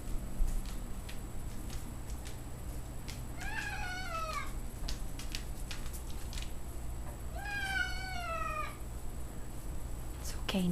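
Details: Domestic cat meeting a new dog it has known for less than a day; two drawn-out, falling meows with rich harmonics around four and eight seconds, over a low steady room hum with faint clicks.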